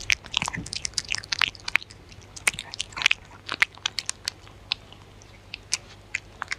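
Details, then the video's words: Close-up of a dog eating with no talking: dense run of crunchy bites and chewing clicks, busiest in the first two seconds, then spaced crisp snaps against a quiet low hum. "Dog Eating Sounds"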